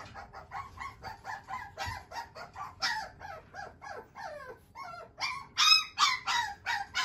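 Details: Young male Shiba Inu, offspring of a JKC champion sire, yips and yelps steadily, nearly three short sharp cries per second, some bending downward into whines, growing louder toward the close.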